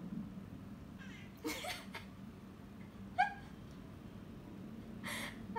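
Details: A cat gives short, rising meows, with one clear meow about two thirds through, in reply to a person asking questions in Indonesian. A low steady hum runs throughout.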